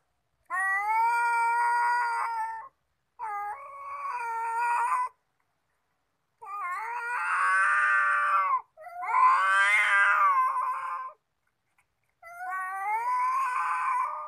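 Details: Domestic cats fighting over fish, the dispute starting as store-bought fish was handed out; a series of long, wavering, strained yowls in five bursts separated by short silences, rising and falling in pitch, indoors.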